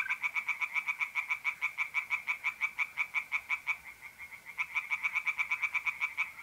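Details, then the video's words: Tree frogs calling by night at a pond in north-east Italy in April, a rapid regular train of harsh croaking pulses that briefly falters near the fourth second before resuming, with a faint mole cricket trill early on. "relaxing singing tree frogs in pond and trilling mole crickets by night"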